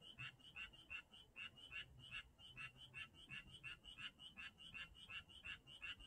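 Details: Chorus of frogs recorded in Janghyeon-dong: rapid rasping croaks pulsing about three times a second, loud and quieter callers alternating, with a faint low hum underneath.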